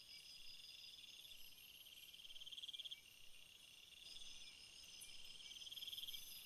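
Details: A dense insect chorus of crickets, high thin trilling tones stacked in several bands, with brief louder bursts of rapid pulses near the middle and end over a constant shrill hum.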